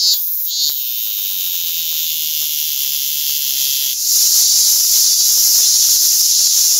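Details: A robust cicada (minminzemi) calling nearby sings a loud, high, steady buzzing drone that swells louder partway through.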